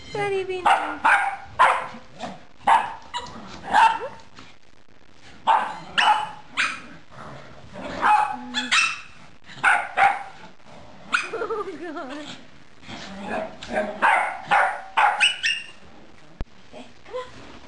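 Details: Rat Terrier named Buddy, a two-year-old standard-sized male weighing 16 lbs, found on Hollywood Beach, Florida. Short sharp barks come in quick clusters across the recording, broken by brief pauses, with a person's voice mixed in.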